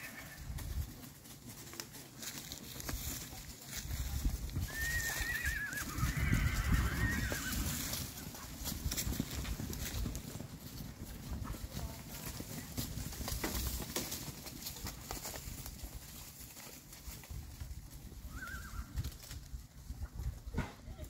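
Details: Purebred Arabian horse; a high, wavering whinny near five seconds over steady low rumbling background noise, with a short fainter call near nineteen seconds.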